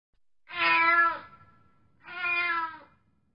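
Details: Domestic cat making two long, loud, nasal meows about a second and a half apart, the first slightly stronger, with quiet moments between them.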